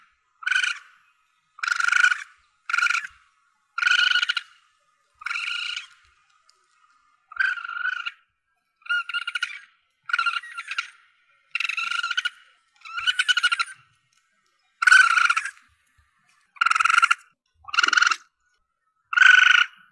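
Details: Asian palm civet young, recorded to draw the animal in for hunting: a long run of about fifteen short, rasping mews, spaced roughly one to two seconds apart, steady in pitch.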